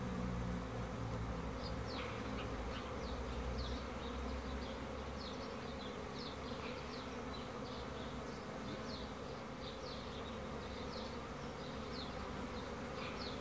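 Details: Continuous low buzzing of honey bees, thick and unbroken, with a run of brief high-pitched chirps repeating quickly above the hum for most of the stretch.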